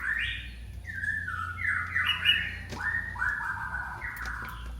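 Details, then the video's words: Baby cat crying out for its mother with continuous high, wavering mews, each rising then falling, run together in a steady chain over a faint low background hum. "the sound of a baby cat calling its Mother"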